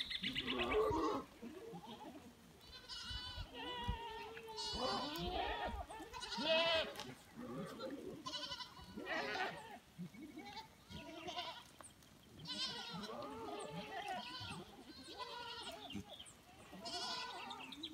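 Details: Goats let loose to roam the hillside scrub in the Dominican Republic, returning to their pen around five in the afternoon; many animals bleat over one another in wavering, tremulous cries, some long and some short, with faint human voices in between.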